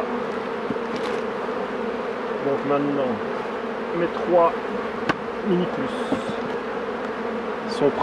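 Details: Honey bees droning around the hives during beekeeping, a constant mid-low hum with brief distant speech and a few clicks and knocks.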